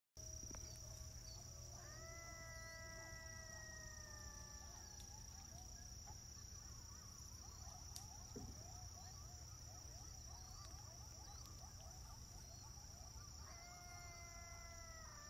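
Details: A young coyote howls back at calls made by the recordist in high, quavering, slightly falling notes, breaking into shorter yips between two sustained howls. A constant shrill insect-like drone and a low rumble run underneath.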